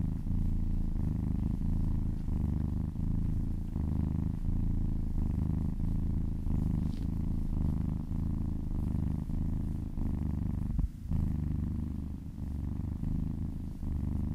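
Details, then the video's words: Relaxed cat purring under a gentle massage, a long unbroken low vibration with rhythmic breath gaps and one brief handling noise near the end. "Purring kittens ASMR"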